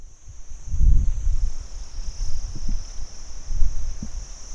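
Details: Crickets recorded by day: a steady, unbroken high-pitched trill holds the whole time, over low rumbling gusts of wind or distant traffic.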